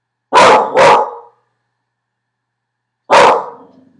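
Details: Pet dog barking at a delivery person; two rapid harsh barks in quick succession, a pause of nearly two seconds, then one more loud bark trailing into a faint low growl.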